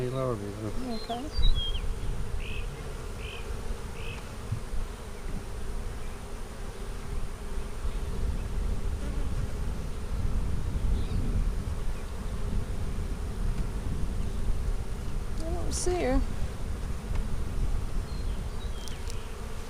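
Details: Hive inspection of a honey bee split made March 4, checked April 15, 2017; constant low colony drone throughout, with a few short chirping tones early on and a sharp knock around sixteen seconds.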